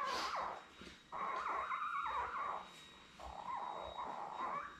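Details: Newborn Labrador Retriever puppies, a litter of seven born May 24, 2021, on a live puppy cam with their mother Belle. High, wavering whines rise and fall in short bursts with brief pauses between them.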